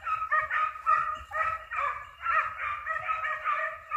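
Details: Hare-hunting dogs in full cry, a dense continuous chorus of tonal, ringing barks and yelps overlapping with little pause, several dogs calling together during the hunt.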